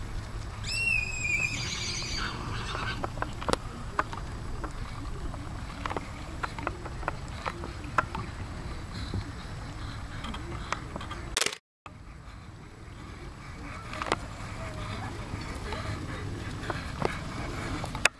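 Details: A Paso Fino horse, son of Amadeus, gives one high, shaky whinny at the start. A steady low rumble follows, with scattered clicking taps and a brief dropout midway.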